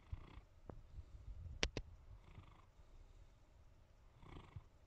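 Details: Ivy, a female Pyrenean Mountain Dog, asleep on the couch in the evening, snoring softly; low breathy snores at about two-second intervals, with a couple of sharp clicks in between.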